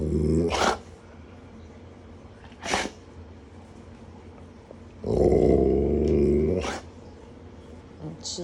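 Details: Alaskan Malamutes indoors in the morning, vocalising to ask for food: two short sharp bursts, then a sustained wavering howl-like moan at mid pitch lasting over a second.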